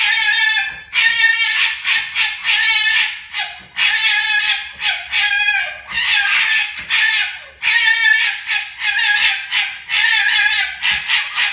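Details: Pair of foxes in a fight, giving loud, grating, wavering screams in stacked harmonic bursts of roughly half a second to a second, separated by brief gaps, intense and continuous throughout.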